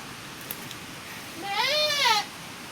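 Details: Bleating goat, a farm animal that has again given birth during the rainy season; a single short quavering cry that arches up and falls away, softer and more distant, after near silence with faint clicks.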